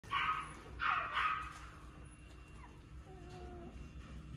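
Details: Shih Tzu dog giving three short, rough barks in the first second and a half, followed by faint, thin whining notes that rise and fall over a steady low background hum.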